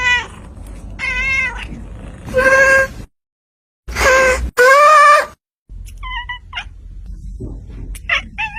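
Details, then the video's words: Kittens meowing in short bursts: a run of wavering, harmonic-rich mews, a strong drawn-out meow near the middle, then thinner, higher squeaks toward the end, separated by abrupt silent gaps and low background rumble. "funny cute kittens meowing||cat's sound effects"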